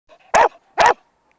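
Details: A dog on round hay bales in October 2007 gives two sharp, loud barks about half a second apart, short and bright, with a faint whine before the first.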